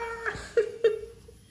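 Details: Domestic cat meowing, a steady mid-pitched tone broken by two short sharp accented bursts, then trailing off; faint indoor room sound.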